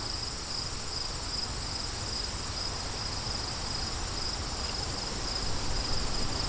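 Crickets chirp steadily in high, rapid pulses over a broad rush of wind.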